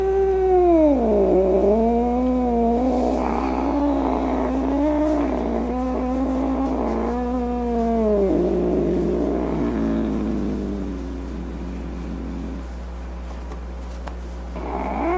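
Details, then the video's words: Domestic cat giving a long, drawn-out wavering meow with rich harmonics, pitch dipping and rising over several seconds, then fading into quieter moaning tones; a steady low hum runs underneath throughout. "Cat Meow Sounds, Snarling Sounds, Hissing Sounds"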